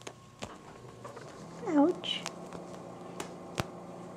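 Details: Buddy the pet cat, a female, gives one bending, drawn-out meow indoors while a person talks to her; taps and clicks punctuate the quiet room.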